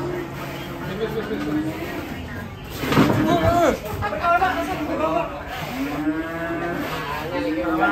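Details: Cattle coming down from a truck and behaving wildly give deep, drawn-out moos that bend up and down in pitch, one near the start and another near the end, with a loud clatter and people chattering in between.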